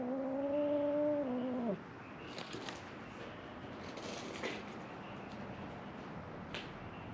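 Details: Feral cat at Mare Island Naval Shipyard, Vallejo, California, crying for food: a single clear meow under two seconds that drops in pitch at its end, followed by quiet rustling background noise.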